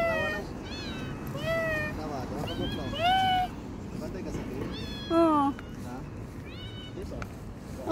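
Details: A street cat named Mashi, filmed in November 2023, gives several drawn-out meows that arch up then fall, spread across eight seconds. A person greets her in a friendly voice, with a low traffic hum underneath.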